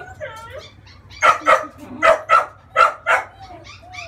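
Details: A female French Bulldog puppy, 30 days old, protests during a bath meant to remove scalp crust, yelping in three quick pairs of loud, bright barks, with faint whimpers before and after.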